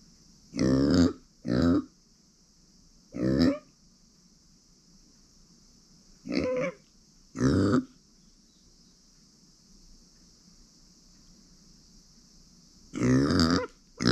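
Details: Pet female micro pig Uni, born September 2020, grunts repeatedly indoors: seven deep, gravelly, burp-like grunts in irregular bursts, some paired closely, others after long pauses. A faint high hiss continues throughout.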